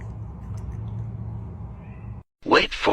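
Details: Cat giving two short, strained meows in quick succession at the end, following a low musical hum and a moment of silence.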